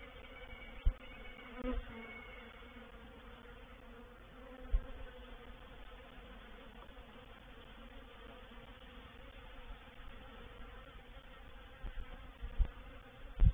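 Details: Reproductive swarm of honey bees settling into a swarm trap at Painted Peacock Manor, 04/07/21; a low, softer humming of bees under deep rumbling background, with a few sharp knocks and thumps scattered through.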